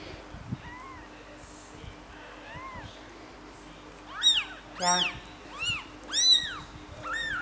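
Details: Three-day-old kittens being cared for at home, with four-month-old kitten Pilt watching them closely. Two faint, thin mews come early, then a run of five loud, high-pitched, arching mews follows in quick succession over the last three seconds.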